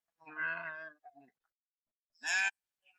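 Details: Ewes in an unshepherded flock bleat loudly, calling out as their young suckling lambs are separated from the flock and taken away.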